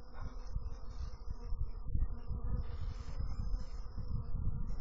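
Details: Bees in a loud, busy low buzz that pulses and swells irregularly, a rich droning hum filling the whole stretch.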